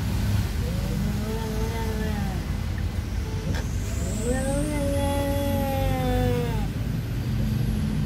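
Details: Siamese cat fighting an orange cat that will not leave its territory: long drawn, wavering yowls rising and falling over several seconds, with steady traffic rumble and a passing vehicle behind.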